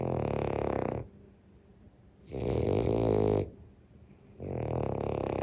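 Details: Sleeping French bulldog snoring. Three rasping, rattling snores, each about a second long, come roughly every two seconds, with quiet pauses between them.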